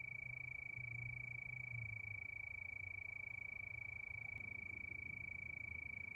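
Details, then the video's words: Crickets calling at night beneath the moon, a sustained high trill beating in quick regular pulses, with a soft low hum and a brief faint click near the end. "Sound of Crickets"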